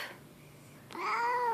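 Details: Leo, a grumpy house cat, grumbling out of the blue indoors; after a soft knock, one long sustained meow swells up and stays steady with clear harmonics, ending slightly lower; background otherwise quiet.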